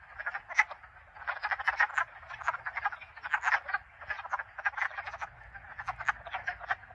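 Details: A chorus of wood frogs (Lithobates sylvaticus) in a vernal pool in Connecticut gives rapid, clucking, duck-like croaks that overlap continuously.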